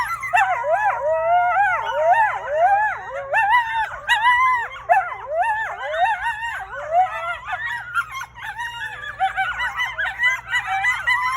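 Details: Coyote howling and yipping: a dense chorus of wavering, quavering howls and rapid sliding yips overlapping continuously, with a steady low hum beneath.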